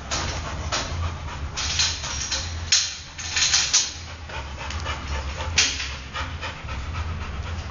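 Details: Luke, a Golden Retriever born 22 December 2009, filmed on 19 May 2010: hissy, airy pants in short uneven runs, a few louder gasps standing out, with a steady low hum underneath.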